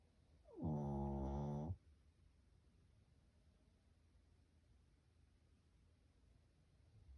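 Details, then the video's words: Dungi, a pet Shih Tzu, snores once in a single buzzy, deep harmonic rasp lasting about a second, then the room falls quiet with only faint background hiss. "귀여운시츄의 코골이"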